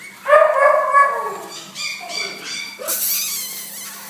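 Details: A blue American Staffordshire Terrier, filmed 2-10-12, gives one long, drawn-out whining bark followed by a quick run of shorter, higher yelping barks that fade toward the end.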